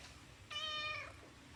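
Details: One short, bright meow from an orange domestic cat, lasting just over half a second with a slight upward inflection at its close, over quiet low-pitched room noise.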